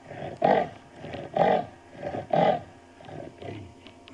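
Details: Wild dominant male leopard at sunset on 12 June 2015, sitting in a dirt road during a safari drive, giving a territorial call; rasping, sawing strokes roughly once a second, three strong ones followed by softer fading rasps.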